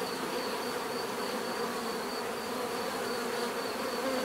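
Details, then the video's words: Natural buzzing of many bees, a continuous layered drone with a faint high tone running across, even loudness from start to end. "bees therapy relaxing natural buzzing sound"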